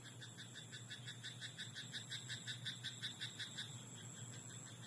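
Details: Night chorus from a frog in a rice paddy: a clear series of sharp, regular croaks, about three each second, fading out near the end, with a low continuous hum underneath.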